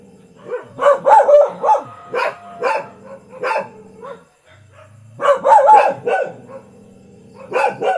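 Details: Thai village dog giving clusters of loud barks, some yelping and rising in pitch, a brief quiet gap in the middle before another rapid run of barks.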